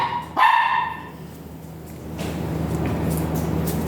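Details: Dog at a Mapandan veterinary clinic during a breeding session with a virgin dam and sire, giving one loud, ringing bark, then falling quiet over a steady low hum and faint clatter.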